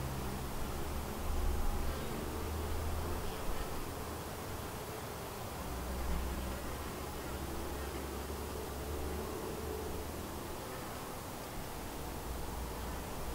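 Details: Continuous low droning hum of many honey bees flying around their white hive, a split from another colony doing well; the buzz rises and falls gently in intensity throughout, with a faint deeper rumble underneath.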